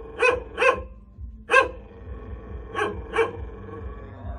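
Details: Hunting dog kept in a cage lets out five loud, gruff barks, two close pairs and a single bark between them, with a low background rumble.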